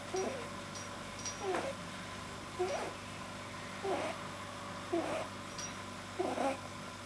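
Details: Deeply relaxed male house rabbit, vet-diagnosed with a probably overlong soft palate, 9 January 2010: six grunting, squeaky breaths at uneven intervals of about one to 1.3 seconds, with faint high ticking and a low room hum behind.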